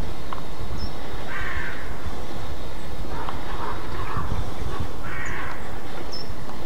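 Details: Roe deer giving its alarm bark, known in German as Schrecken: three harsh, hoarse barks spaced about two seconds apart, each roughly half a second long, over a constant low rumbling background noise.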